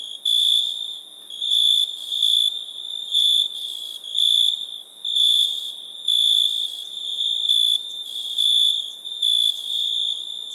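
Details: Crickets at night giving shrill, steady, high-pitched trilled bursts about once a second, each lasting roughly half a second, the tone even and unchanging, over a quiet background.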